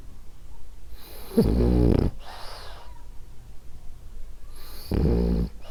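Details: Sleeping female French Bulldog named Ariva snoring: two loud, low, buzzing inhaled snores about three and a half seconds apart, each followed by a hissing breath out, indoors and otherwise quiet.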